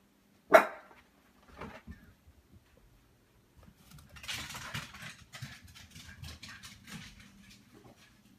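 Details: A small dog barking at giant wild turkeys in its yard, which it loves to chase, lets out one sharp, loud bark, then quieter scuffling, rustling and faint knocking.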